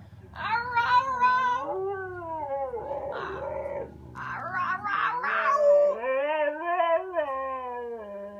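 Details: Female Siberian Husky talking because she wants to go for a walk: drawn-out, wavering, harmonic yowls and whines that rise and fall in pitch, with brief grumbling breaks, continuous for about eight seconds indoors.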